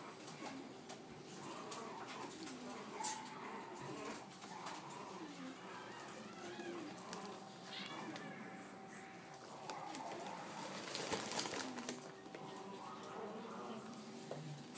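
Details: Three cream male French Bulldog puppies born 12.4.23 give thin, wavering whimpers and squeaks that rise and fall in short bursts throughout, mixed with people talking softly nearby in a small indoor room.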